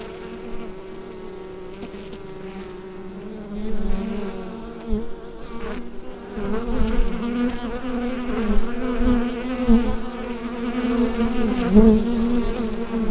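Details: Bees inside a hive, captured with a Rode NT-USB microphone: a dense, steady droning hum, low and layered, swelling slightly louder in the second half with faint scattered clicks.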